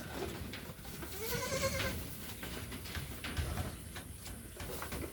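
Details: Goat bleating on a small farm in the Philippines while people search for a missing kid; one wavering harmonic bleat rises and falls near the start, with Tagalog speech and background noise throughout.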